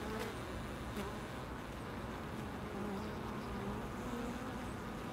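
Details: Bees buzzing at a loading dock: faint, wavering hum drifting up and down in pitch, partly buried under constant broadband noise from the surroundings.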